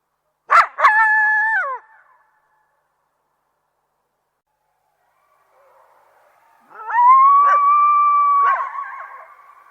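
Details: Coyotes calling: a couple of sharp yelps leading into a short level howl that drops off, a long silence, then a sustained steady howl with a second voice breaking in.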